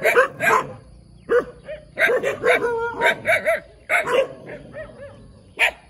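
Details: Little puppy barking a lot: a busy run of high yaps and shorter squeaky yips, irregular and closely spaced, some in rapid pairs, with short quiet gaps between clusters.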